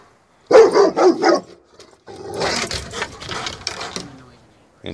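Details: Male Rottweiler still barking at a new kitten-print garden flag in the yard, his stub tail wagging the whole time. Three quick, loud barks in the first second and a half, then a person speaking.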